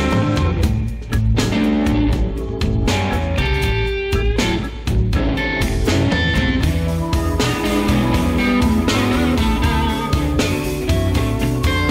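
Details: Loud blues-rock music driven by electric guitar and drums plays throughout, with no animal sounds.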